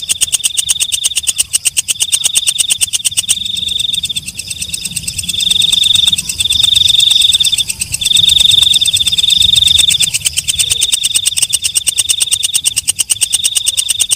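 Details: Night-singing katydid (walang kecek) giving a fast, pulsing high buzz. Bright, smoother trilled stretches swell and fade over the ticking base, possibly a second caller overlapping. A quieter gap with lower murmur sits between four and five seconds.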